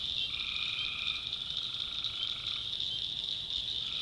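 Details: Tree frogs calling at night in a swamp in the North Carolina backwoods: a dense, unbroken high trilling chorus, with a lower tone that switches on and off partway through.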